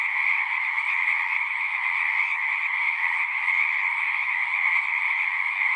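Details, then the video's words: Frogs singing in unison outdoors: a continuous, dense trilling drone in a lower and a higher band, slightly pulsing but unbroken, with no birds or people audible. "One hour of singing frogs."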